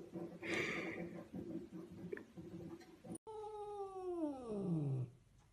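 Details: Domestic cat giving a drawn-out wailing call that slides steadily downward in pitch over about two seconds, preceded by muffled room noise and faint background sounds.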